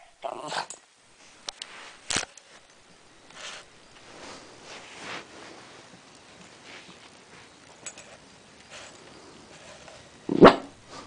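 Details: Murphy, a pet West Highland White Terrier, indoors in a small room: a few short sharp barks near the start and middle, one loud bark near the end, with sniffing and soft handling noises between.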